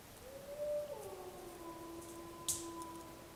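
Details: A faint, distant wolf howl that starts on a higher note, then slides down and holds a long, low, even tone, with a brief click partway through.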